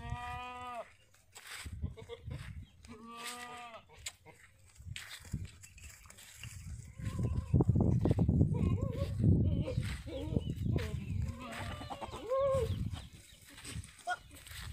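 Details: Sirohi goats, male and female, at a goat farm in Ajmer, Rajasthan, give two loud wavering bleats with rich harmonics near the start, followed by heavy rumbling handling noise, human voices and scattered fainter bleats.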